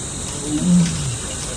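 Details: Tadoba safari recording of a big male tiger that swam across a dam, roaring to call a mate: a single low, throaty roar rising then trailing off, over a constant high-pitched insect hum.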